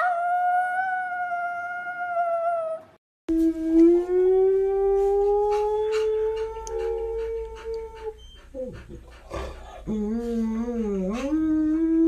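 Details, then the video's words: Domestic dog howls in long steady tones, first higher then lower and slowly rising, followed by a wavering, quavering howl near the end, with speech and light background noise between phrases. "Funny Dogs Howling - Funny Puppies Howling Video Compilation"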